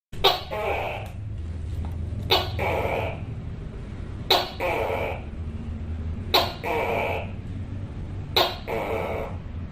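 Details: A tokay gecko gives loud, croaking two-part calls, repeated about every two seconds.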